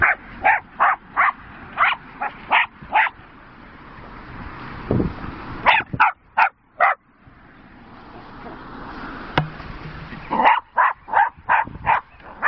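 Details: Two Jack Russell Terrier sisters, Rosie and Poppy, playing with horse boredom-breaker toys; sharp, high barks in quick bursts, several runs of five to seven yaps separated by short pauses, with thumping and rustling from the play between.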